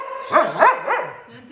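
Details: Male Border Collie-Australian cross, seven years old, kept as a house dog in Milan, Italy, during obedience training with treats: three quick loud barks in a row, with a person giving commands around them.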